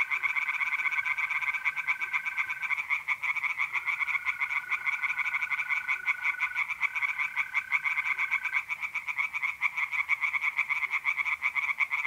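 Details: Singing tree frogs at a pond by night in April, north-east Italy, a continuous rapid croaking chorus with mole crickets trilling in long unbroken bursts of several seconds.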